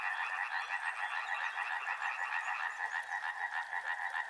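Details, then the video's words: Chorus of riverside frogs, quick rhythmic croaks repeating about three times a second in a thick, evenly pulsing wall of sound, several callers overlapping. "Frog Sounds | Soothing sounds of river and frogs"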